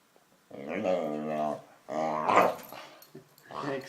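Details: Jealous pet dog seeking attention lets out two drawn-out, tonal growling grumbles, each about a second long with wavering pitch, and a third begins at the end, indoors in a small room.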